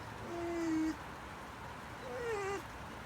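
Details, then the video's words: Mako, a dog, whimpers oddly as neighbours make noises: two drawn-out whines, the first level and steady for about half a second, the second sliding gently downward, with a low hum beneath. "makos weird whimpering when neighbours are making noises"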